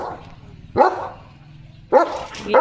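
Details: A German Shepherd dog calls its owner with sharp barks, one then a quick pair about a second later, against a steady low rumble.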